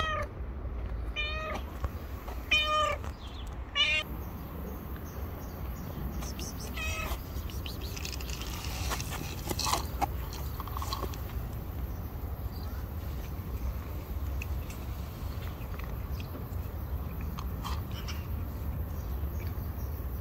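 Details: Pregnant stray cat living on the street, a few days from giving birth, gives a quick run of clear, harmonic meows in the first four seconds, then a few softer ones later, over a steady low rumble of background noise.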